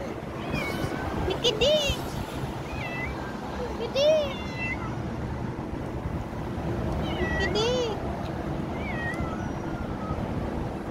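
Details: Street cats filmed in November 2023: three clear, arched meows, each rising then falling, spaced a few seconds apart, with fainter higher chirping calls between them over a steady low rumbling background noise.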